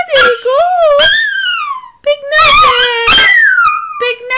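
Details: A female Chihuahua gives drawn-out, wavering whines and howls, calling for her former companion, a Chiweenie dog.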